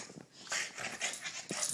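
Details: Ladybug, a small, excited pet dog, greets her owner indoors after an hour away, giving a run of breathy, high-pitched whimpers and short yips in quick, uneven bursts, noisy and broadband, with louder pulses near the middle and end.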